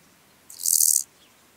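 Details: Lesser marsh grasshopper (Chorthippus albomarginatus) song at Elsbethen, Austria, 27 July 2019: a single brief, dry, high-pitched rasping burst lasting about half a second.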